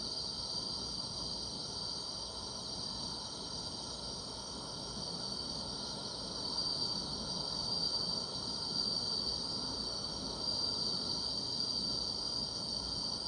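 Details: Steady high-pitched trilling from many grass insects fills a summer night, a smooth sustained drone with a faint upper band and light background hiss.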